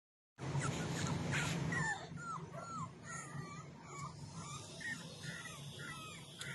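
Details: Puppies give a run of thin, arched whining squeaks, rising and falling, repeated rapidly after a loud opening burst of rustling and handling noise.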